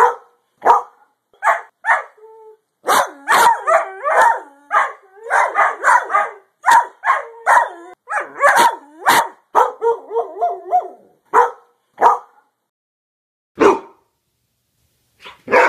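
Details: Greyhound barking in a dense, fast run of sharp barks between three and nine seconds, broken by drawn-out whining, yelping tones, then a few isolated single barks toward the end with quiet gaps.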